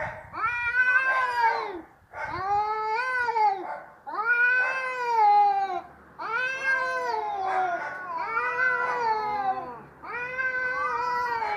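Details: Cats fighting noisily: long harmonic yowls, rising then falling, come in drawn-out bursts of about a second and a half to two seconds, separated by short pauses, with several overlapping wails from more than one cat.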